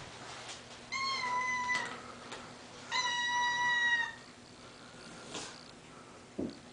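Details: Domestic cats meowing indoors, two clear harmonic meows about two seconds apart, each level then dropping at the end, with soft rustles and a brief knock afterwards.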